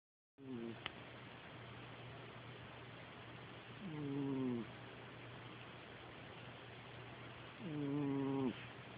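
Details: Sleeping cat snoring indoors, with low voiced, harmonic rasps of about half a second to a second, spaced roughly four seconds apart over a steady hum; a soft murmur follows.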